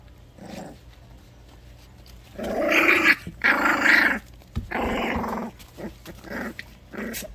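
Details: Four-week-old orphaned puppies Loki and Lola, saved from euthanasia and raised through the Love-Is-Fur-Ever-Dog-Rescue, growl at playtime before bath time. A raspy, rolling growl comes in three strong bursts, opening with softer grumbles and ending with a short one.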